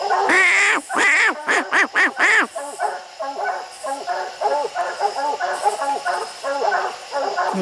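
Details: Dogs treeing raccoons on a steep, slick hill. It opens with a handful of loud, ringing bawls, then settles into softer, rapid overlapping barks from several dogs, uneven in rhythm. There is some human talk nearby.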